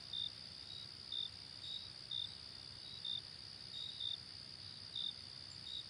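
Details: Crickets in a nature ambience: a steady high shrill trill runs throughout, while short bright chirps from another cricket pulse about once a second over a faint low background hiss.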